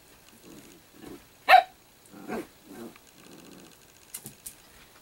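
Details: Italian greyhound puppy named Sparkle making a run of short, low grumbling growls, broken by one sharper, louder yelp-like burst early on and a few faint clicks toward the end.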